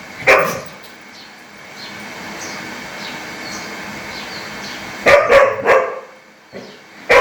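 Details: Angry dog barking loudly: one sharp bark, a long pause of faint background noise, then a rapid burst of three or four harsh barks and a final yelp.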